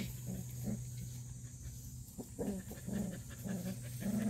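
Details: Black purebred Jindo dog panting in quick rhythmic breaths, close to two per second, each a short low rasp, over a constant low background hum.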